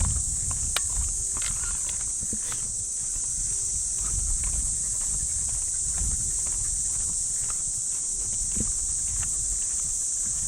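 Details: Early summer morning in a Japanese park: an unbroken, high-pitched cicada drone from the trees, with soft, uneven footsteps on the path beneath it throughout.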